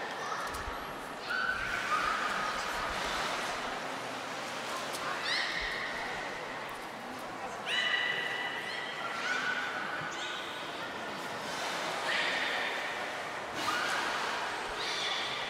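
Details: Belugas Gray, Nana and Mirai during a training session at Port of Nagoya Public Aquarium, 10 February 2024: repeated short squeaky whistles and chirps, some sliding upward, come in bursts every couple of seconds, with people talking in the background.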